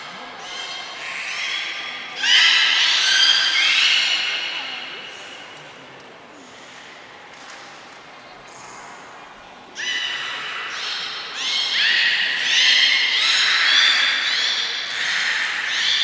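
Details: Beluga in Port of Nagoya Public Aquarium on 18 February 2024, during play after eating fish; two long bursts of dense, buzzy harmonic whistles and squeals separated by a quieter stretch with faint voices.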